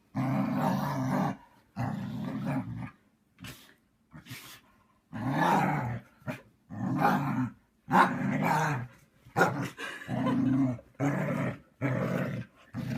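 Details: A Siberian Husky grumbles and whines in a long series of rough, low vocal bursts of varying length, some rising and falling, with brief silences between them; a short sharp sound near the middle may be a sneeze.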